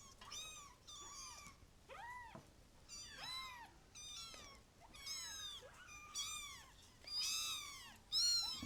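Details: Kittens crying in a steady series of high, curved mews about once a second, some overlapping, growing louder toward the end.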